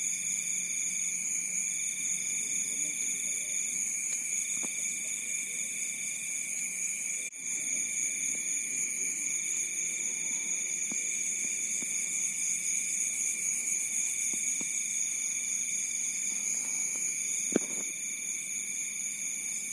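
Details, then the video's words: Crickets calling at night along a rice field edge in Bantul, Yogyakarta: continuous shrill layered trilling, one band pulsing intermittently, with a few faint low knocks and a sharp click near the end. "Suara Alam Malam | Jangkrik di tepi Sawah"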